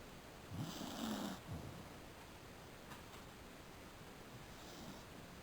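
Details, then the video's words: A sleepy Beagle named Truckey, dozing indoors during an interrupted afternoon nap, gives one raspy, low snore lasting about a second, then near silence with a faint later breath. "Snoring Beagle"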